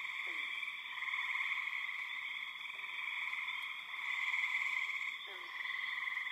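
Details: A dense, loud chorus of many spring peepers, high piping peeps blending into a steady shrill ringing, with birds and insects also calling.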